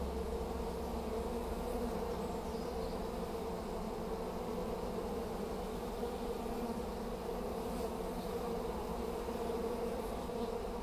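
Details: Swarm of honey bees in Hampshire, May 2015, fanning at the entrance of their new hive as bees stream in; constant thick humming drone, even in loudness throughout.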